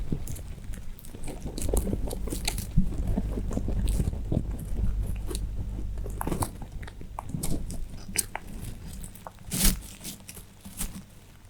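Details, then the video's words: Pet rabbits eating hay in a small room, a steady run of close, low crunching and biting sounds with short sharp crackles, loudest early and easing toward the end. "Rabbits chew Hay, making Pleasant Sounds."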